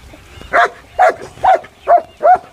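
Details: Farm dog in Chelawas village, Mahendragarh district, Haryana, barking steadily at goats as long as they keep moving around: five short, sharp barks about half a second apart over low background noise.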